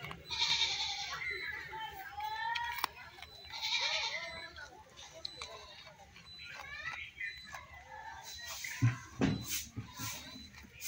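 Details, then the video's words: Goat crying: short, quavering bleats come at the start and again near four seconds, then rustling, knocks and mixed background noise fill the rest. "ছাগলের ডাকের ভিডিও দেখুন | ছাগল কান্না করার ভিডিও"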